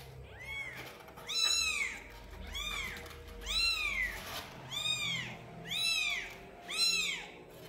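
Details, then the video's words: Kitten at twelve days old calling insistently: seven shrill, arched meows, each sliding up and down, repeated roughly once a second over a quiet room with faint low hum. "Anak kucing meong meong hari ke 12"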